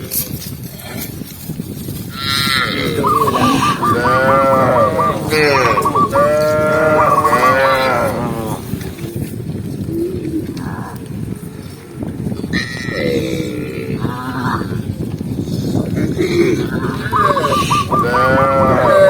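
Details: Tame cows herded calmly through a forest trail, lowing repeatedly; bursts of overlapping moos, some harsh and wavering, come and go over a steady background of shuffling and trampling.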